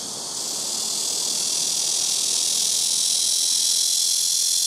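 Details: Blackish cicada (말매미) singing very loudly from trees by a house rooftop, several cicadas taking turns on nearby trees; an intense, continuous high-pitched buzzing hiss that swells in loudness within the first half second, then holds steady.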